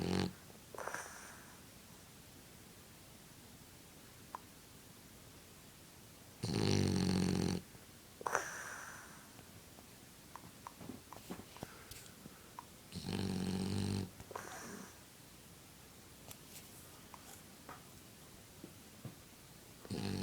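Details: A French Bulldog snores loudly while blowing bubbles, with a harsh rasping breath roughly every six to seven seconds.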